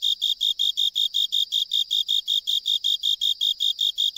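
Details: A Japanese burrowing cricket (Velarifictorus micado), usually singing from soil or stone gaps, sings from a drainage pipe on an island, giving a steady series of short, high, pure chirps, about five each second.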